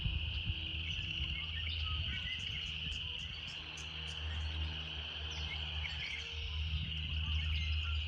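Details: Steady high-pitched droning of cicadas in a natural setting, unbroken and even, accompanied by a deep background hum and scattered short high ticks and chirps.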